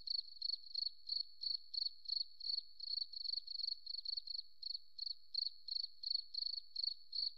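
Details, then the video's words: Forest cricket chirping steadily: bright, high, pulsed chirps at an even pitch, roughly three each second, in an unbroken run against a silent background. "Beautiful Cricket Sound, Forest Relaxing"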